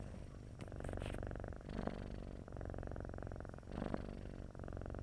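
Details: Domestic cat sleeping with a snoring purr: low throbbing rumble interrupted by short breathy pauses and swells about every two seconds, with a faint brief click near the start.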